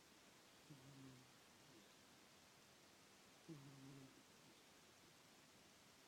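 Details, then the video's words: Sleeping cat named Miss, snoring softly indoors: two faint, low, grating breaths about three seconds apart against a steady room hiss. "Miss snores"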